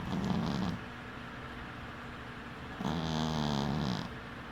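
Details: Winky, a dwarf cat, snores while sleeping with one eye open: two rasping, droning breaths with a low buzzy tone that wavers slightly, separated by about two seconds of quiet exhaling. No other sounds stand out.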